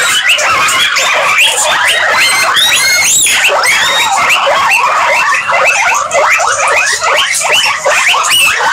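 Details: A crowd of guinea pigs produces an unbroken wash of shrill, upward-sweeping squeaks, many voices overlapping, with a few sharper high whistles standing out near the middle.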